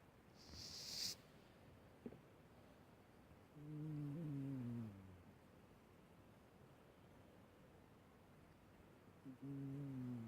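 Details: Snores from an elderly, ailing female house cat, which died at age 18.8: two soft, buzzing low breaths that each drift downward, separated by several seconds of quiet, with a brief rustle and a faint click beforehand.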